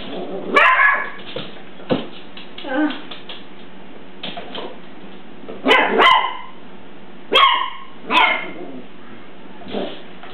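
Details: A little puppy meets its big cousin dog; scattered short barks and yips come in irregular bursts, some doubled, with pauses between them and faint background noise.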